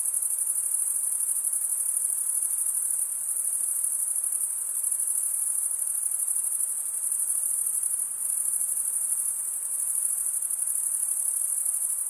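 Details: Chirping crickets, males producing the sound with comb-like teeth on their wings; a high, even, pulsing trill runs throughout, rising and falling only slightly in loudness, on a quiet background.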